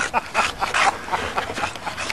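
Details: A male bulldog excitedly mounting another male dog, making rapid breathy panting and whiny snorting sounds in quick bursts throughout.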